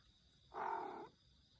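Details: Pet cat giving an odd-sounding meow: one flat, nasal call of about half a second, steady in pitch and cut off abruptly, against a quiet room with a faint steady electrical whine.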